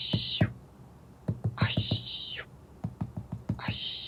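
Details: An aye-aye, the long-fingered lemur of Madagascar, gives drawn-out, hissy high screeches that drop away at the end, between sharp tapping knocks.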